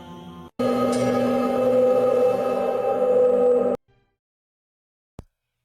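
A sustained eerie musical drone with steady tones plays, then stops abruptly, followed by a brief click.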